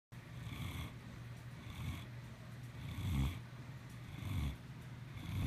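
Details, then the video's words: Maximus, a cat, snoring: deep, rough, low rumbling snores that rise and fall roughly every second, each breath a grainy swell with faint hiss above, in a quiet room. "Maximus the king of snores"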